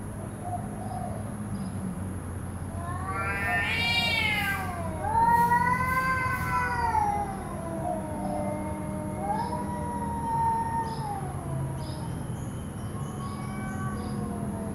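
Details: Cats in a fight, a sharp rising screech building into warbling, falling yowls, then quieter drawn-out moans trailing off, over a low hum and constant hiss.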